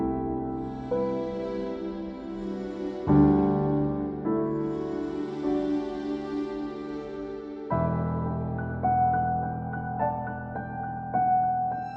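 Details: Gentle piano and keyboard music plays in slow, sustained chords throughout, with no animal voice audible.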